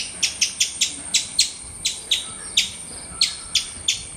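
A squirrel gives loud, sharp chirps repeated in a quick, uneven series.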